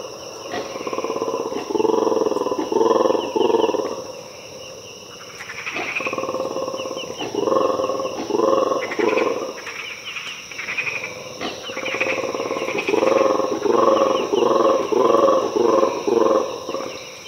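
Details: Mantled guerezas (black-and-white colobus) in an Ethiopian cloud forest at about 5am, crashing onto a hut roof, give deep, rattling roars and growls built from rapid pulses in surging bouts.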